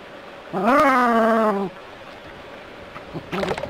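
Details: Jack Russell terrier confronting a rat snake in a city setting gives one drawn-out, steady, strongly tonal whining cry lasting about a second, followed by a quiet pause and a short rougher yelp near the end.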